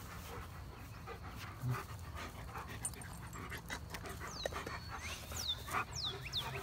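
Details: Panting from one of four pet dogs (German Shepherd Odin, yellow Labrador Retrievers Remington and Hannah, and former stray black Lab Midnight) playing together, a steady rough breathy rhythm, with a few high falling chirps toward the end.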